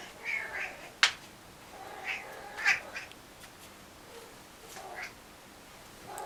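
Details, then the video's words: A house cat making funny noises, giving short, harmonic chirrups and meows roughly every second, some rising, mixed with a sharp knock near the start. "Cat making funny noises"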